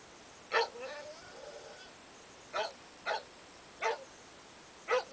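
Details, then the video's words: Dogs Arwen and Katana begging for food give five short, sharp barks spread across five seconds, one isolated, then a loose group of four, over a quiet hiss. "Arwen and Katana Begging For Food"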